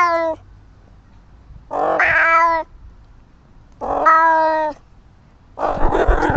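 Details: Pet cat Little Flower meows in a steady series of four calls, one about every two seconds. Each wail is strong and even with rich overtones, and the gaps between are quiet.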